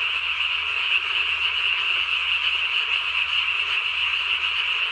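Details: Japanese tree frog croaking in the night, recorded 3 May 2020, its chin vocal sac swollen as large as the body; a continuous, even, high-pitched pulsing rattle with nothing else audible.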